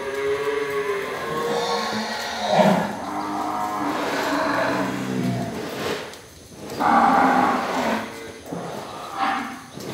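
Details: Breeding cattle held for sale bellowing repeatedly: several overlapping hoarse moos, some rising and falling in pitch, with a louder, tonal bellow near the end and a faint musical background.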